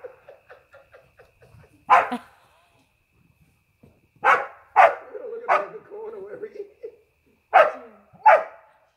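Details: Border Collie named Dick chasing a playmate that hides in a hedge during play: soft voices at first, then loud single barks spaced irregularly, some in close pairs, with murmured talk between them.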